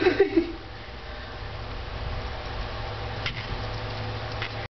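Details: Indoor room noise with a low steady hum, a few brief knocks at the start and a faint tap later, with no audible animal call.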